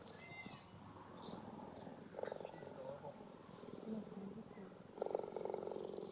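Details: A female zoo cheetah in Canberra purrs in loud, rumbling bursts when happy, as loud as a domestic cat, with birds chirping and a person talking nearby.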